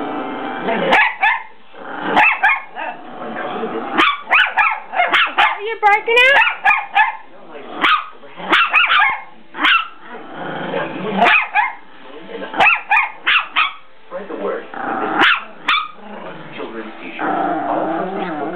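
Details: Several dogs on the attack, snapping out short harsh barks in uneven bursts separated by brief pauses, with a quick run of rising yelping squeals near the middle and rough growly noise between volleys.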